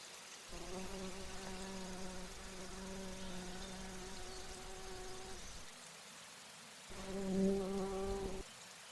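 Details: Bumblebee in flight while drinking nectar at flowers: a low, droning hum with many overtones lasts about five seconds, stops, then returns louder for a final short burst.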